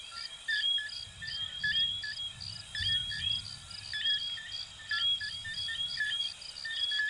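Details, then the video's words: Coquí frogs of Venezuela and Puerto Rico in full chorus, a mesh of quick upswept whistled notes from many individuals, with a pulsing high insect drone and soft low background rumble. "Sonidos de Ranitas de Venezuela 🇻🇪 y Puerto Rico 🇵🇷 "Coquí""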